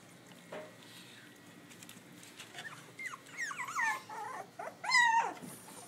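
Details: Newborn litter of eight Pitbull cross and Belgian Malinois puppies, from a three-year-old Pitbull cross mother and one-year-old Malinois father, recorded on an iPhone in Butuan City; short squeaky whines and yelps in the second half, the loudest a wavering cry near the end.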